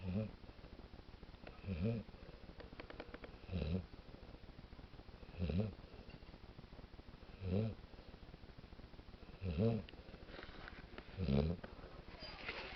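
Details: Daisy, a pet dog, snoring as she sleeps indoors: seven deep, rasping low snores with raspy harmonics, one roughly every two seconds, with quiet breathing noise in between.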